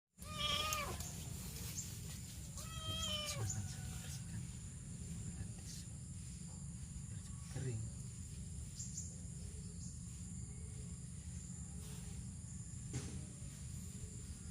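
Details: Kitten crying for help, found on a morning walk along a road by rice fields. Two high, wavering meows near the start, each with stacked harmonics, then mostly low rumbling background noise with faint clicks.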